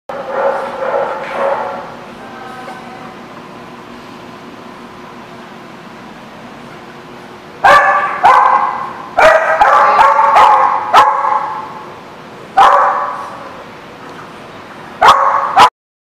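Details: Dog barking, recorded 10/3/16: a burst of hoarse barks at the start, then a long stretch of low hum, then clustered sharp barks and yelps with clicks between them, ending in two short barks.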